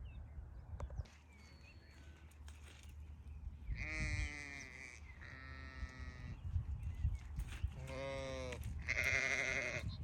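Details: Farm sheep bleating: four long, wavering, harmonic-rich bleats, each about a second, coming in a row between four and ten seconds, over low rumbling background noise and faint chirps.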